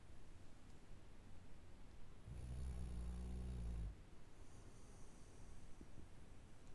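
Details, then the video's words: Snoring Labrador Retriever, a single low, buzzy snore of about one and a half seconds rising out of soft background breathing, then fading back to a faint hiss. "Labrador Snoring"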